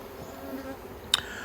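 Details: Single honey bee buzzing past with a wavering pitch over the colony's hum at a yellow hive with plastic frames, Australia, 9 October 2021, followed by a sharp click.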